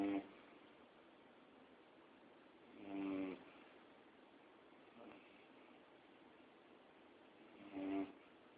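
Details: Max, a sleeping pet Labrador, snores indoors: rasping, harmonic-rich breaths swell at the start, near three seconds and near eight seconds, with a fainter snore between, separated by quiet stretches of steady room hiss.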